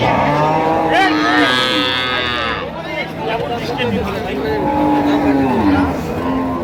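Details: Dairy cow among cows and calves for sale at Ambari market, Dinajpur, Bangladesh, 15 September 2025: a single strong moo rising then falling over nearly two seconds, followed by men's voices and busy market noise.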